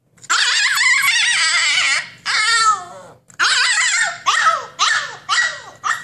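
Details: Indoor Siberian Husky throwing a tantrum to demand its freedom, producing loud, warbling, talkative howls that break into a series of short, falling yelps toward the end, in a small room.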